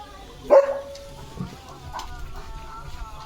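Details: Leo, a German Shepherd on an evening walk through green countryside with a light breeze, lets out a single sharp bark that fades into a short ringing tail, followed by a soft spoken voice.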